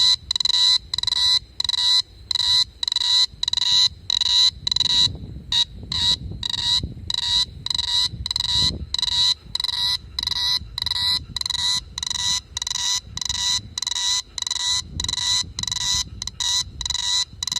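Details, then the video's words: Cicada chirping at night in summer 2017 in Da-an District, Taichung City, Taiwan, recorded on a phone: steady, bright, ringing pulses repeated roughly twice a second without a break, over a soft low rumble. "Cicada chirping at night."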